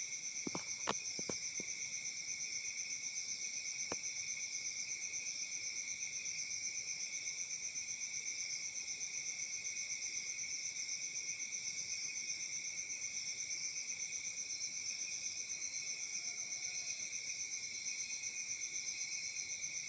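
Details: Summer-night cricket chorus recorded in Africa: continuous shrill, layered chirping in several high bands, pulsing rapidly and evenly, with a few sharp clicks at the start.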